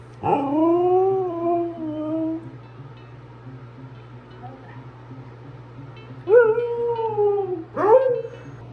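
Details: Early-morning indoor husky vocalizing, trying to speak quietly about wanting food such as apples or carrots. A long sliding howl opens the clip, then two short rising-falling woo calls follow after a pause, over a constant electrical hum.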